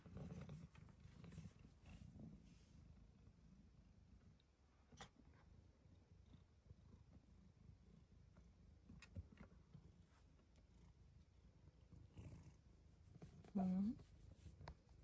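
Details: A female Bengal cat on her petting shelf in a closet purrs in a low, steady rumble while being petted, then gives one brief rising chirp-like meow of joy.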